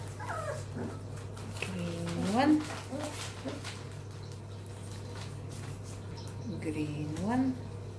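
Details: A puppy in Ruby's litter lets out high whines that slide steadily upward, one short cry early, then two longer rising squeals several seconds apart, with a woman's gentle voice and low room hum beneath.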